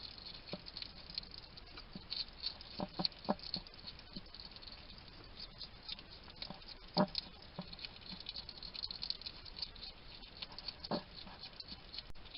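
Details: Wild male hedgehog at a feeding station in a garden in Somerset, UK, chattering to himself while eating: irregular dry clicks, smacks and crunches in bursts, a few louder snaps around the middle, over a steady faint hiss.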